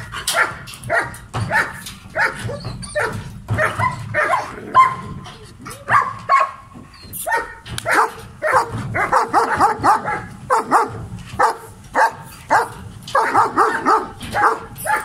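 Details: Aggressive adult male German Shepherd barking in rapid, harsh bursts, clustered barks repeating throughout with brief pauses, some barks tailing into a ringing tone.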